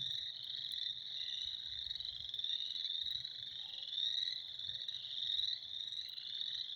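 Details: Frogs calling in spring, a dense continuous chorus of high trilling voices overlapping into a steady pulsing band, with no gaps and faint low rumble beneath.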